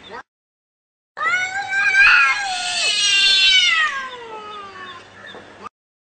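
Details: Angry cat in a fight letting out one long, loud yowl about four seconds long, pitch wavering and slowly sliding downward, rough and harsh in the middle.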